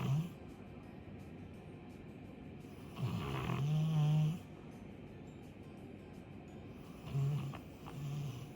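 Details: Labrador Retriever Chappy, a two-year-old female, sleeping and snoring loudly; deep, rumbling snores come in three bursts, at the start, a long one around the middle, and another near the end, with quiet breathing between.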